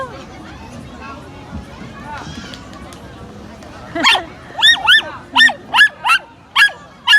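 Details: Pomeranian meeting a new friend: quiet human talk at first, then a burst of eight sharp, high yapping barks in quick, uneven succession over the last three seconds.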